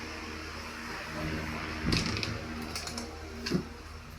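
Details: A steady low machine-like hum fills a small room, broken by a few soft thumps and clicks. No animal call stands out.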